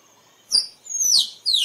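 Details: Shrill squirrel cries used as a lure for wildlife photography: three high squealing notes, the middle one long and drawn out, each gliding downward in pitch over a thin constant background whine.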